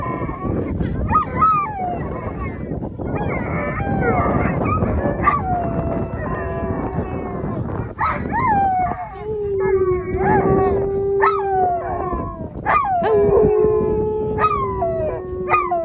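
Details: Two Alaskan Malamutes and a Labrador Retriever howl together in excitement, many voices overlapping in long, wavering tones. They are waiting for their turn to run as a team during sled dog land training in Long Sault, Ontario.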